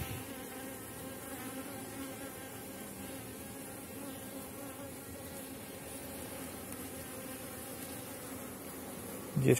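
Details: Honey bees of a strong late-season colony humming over a brood frame in an August hive; an even low drone throughout, ending with a sharp knock.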